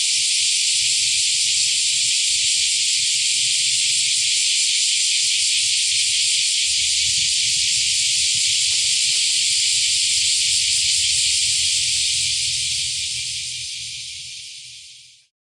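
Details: Season's first cicada chorus at Akashi, Japan, on 13 July 2025: an intense, unbroken high buzzing drone that holds steady for about twelve seconds, then fades smoothly away to silence.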